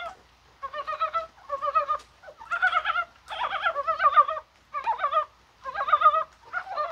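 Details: Dybowski's brown frogs croaking in rain on a spring-like January 21: a run of rattling, knocking bursts about half a second to a second long, with frogs overlapping and answering one another.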